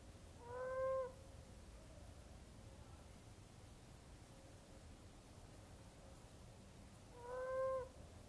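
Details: Moaning frogs of South West WA, burrowed in a garden bed, calling through the night as the wet season breeding begins: two separate hooting, owl-like moans about six seconds apart with quiet hiss between them.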